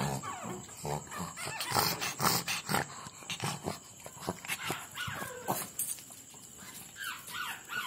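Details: Cute puppies squeal and yip in rapid, irregular bursts, some calls sliding upward, mixed with scratching and thumping noises and a thin steady tone overhead.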